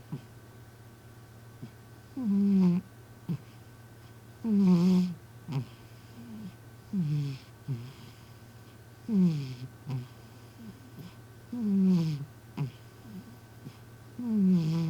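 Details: Sleeping cat named M snoring indoors with a human-like snore: voiced, falling, harmonic rasps on each breath, roughly every two and a half seconds, over a steady low hum.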